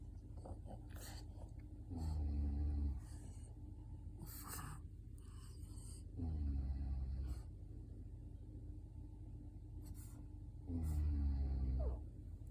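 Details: Orm the pug snoring indoors: three long, low, rumbling snores, each lasting about a second, coming roughly every four seconds, with faint clicks and rustles between them.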